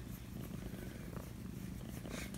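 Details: Feral kitten being socialized indoors, back to exploring after feeling unwell, purring in a steady, low, even rumble of rapid pulses throughout, with no other clear sounds.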